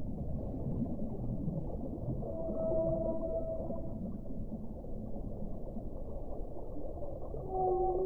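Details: Whale song: drawn-out, level tonal moans, one sustained near the middle and two higher held notes toward the end, over constant low rumbling underwater wash.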